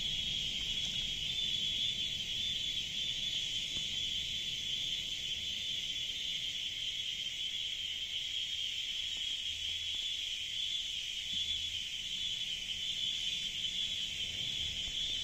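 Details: Cicadas in a jungle keep up a steady, high, shrill drone without pause, dense and unbroken throughout.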